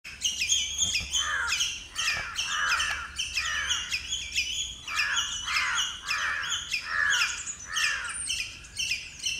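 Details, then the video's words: Squirrel giving territorial calls to defend its territory: harsh, raspy chattering notes repeated in quick rhythmic bursts, buzzy and bright, continuing steadily throughout. "Squirrel territorial calls"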